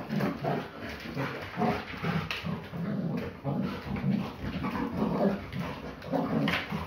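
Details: Belgian Malinois, a female dog, during a play fight: dense, continuous low growls and grumbling vocal bursts, roughly once a second, with scuffling noises indoors.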